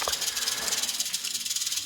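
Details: Rattlesnake shown in a Halloween feature at SOS Reptiel, sounding the rattle on its tail tip as a defensive warning when threatened or approached; steady dry buzzing hiss pulsing rapidly throughout, with faint background noise.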